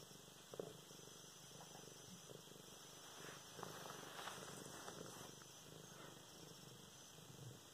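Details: Luna, a pet cat, purrs as she is petted and played with, recorded November 24, 2016; steady low rumble rising and falling with each breath, with soft rustles and brief handling noises.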